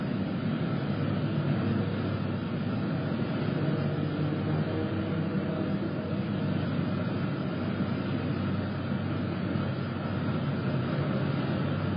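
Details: Steady low rumble of a vehicle engine runs throughout, broadband and unbroken, with no animal voice rising above it.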